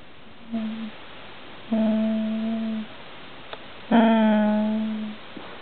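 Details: English Bull Terrier female "talks" in three drawn-out, tonal whining moans, complaining and begging for cheese pie from the table.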